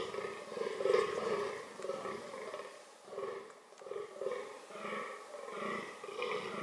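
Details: Fallow deer in a reproductive context giving rough, throaty groans in a continuous series, each lasting under a second and coming about once a second, with a loud burst near the start.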